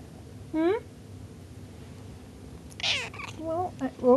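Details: A pet cat at home, described as talking and destroying belongings: a short rising meow, then after a pause a woman's voice speaking, followed by further brief wavering meows and chirps mixed with her talk.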